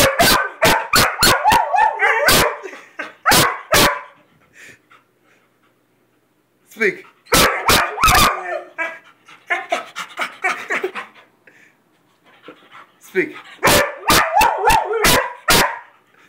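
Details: Weimaraner and Vizsla dogs repeatedly told to "speak" bark in three excited bursts of rapid, sharp barks mixed with whines and yelps, separated by pauses of near silence, with a person's commands between.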